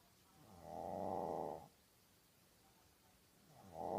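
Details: Maltese dog named Ulppukku asleep, snoring: a long rasping, buzzy snore about one second long, then quiet breathing before the next snore begins, indoors.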